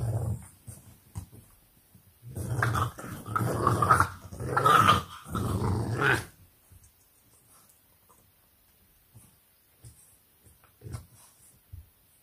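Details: English Bulldog puppies playing in their pen at 4 am in Nairobi, Kenya: short grumbles, then a sustained low rumbling growl lasting about four seconds, followed by near quiet with a few soft snuffles and thumps.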